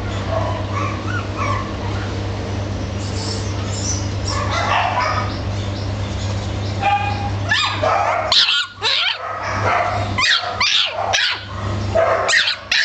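A Boston Terrier gives sharp barks and yips over a steady low mechanical hum.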